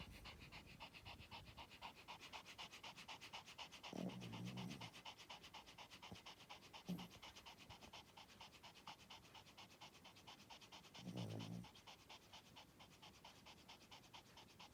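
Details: Spitz asleep, breathing in a fast steady rhythm of soft rasping puffs, broken twice by louder, low, droning snores lasting about a second each, several seconds apart.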